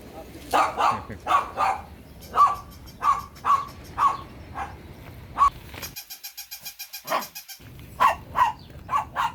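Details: Dog barking repeatedly in loud harsh barks over steady background noise and some talking, with a burst of rapid even ticking pulses partway through.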